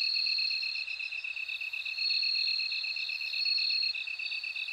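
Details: Ringing bell cricket song, a sustained high, clear tone that swells and fades over a quick, even, lower pulsing of other insects. No other sounds are present.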